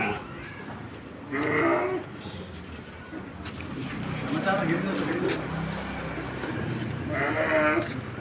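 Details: Petetan feeder sheep in a pen at Kepuh, Padalarang, West Bandung: two wavering, nasal bleats about six seconds apart, with a man talking and background noise in between.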